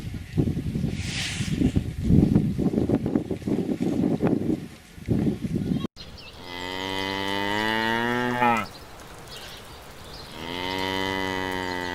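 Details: Cow on a farm: the first half holds only broad rustling noise, then a long, loud, tonal moo runs for about three seconds, followed after a pause by a second drawn-out moo starting near the end.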